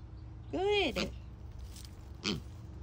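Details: Stubborn piglet screaming during leash training: a loud, harmonic squeal rises and falls over half a second, followed by a shorter, fainter squeal, with low background rumble.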